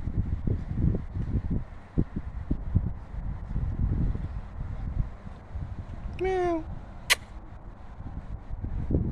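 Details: A cat gives one short, slightly falling meow midway through, preceded by several seconds of wind buffeting and rustling outdoors; a sharp click follows soon after.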